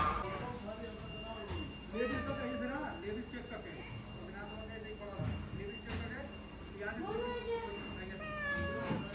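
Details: Indian street cat, a domestic cat also called Billi, gives several wavering, drawn-out meows at intervals, each rising then falling, mixed with people chatting nearby in Hindi.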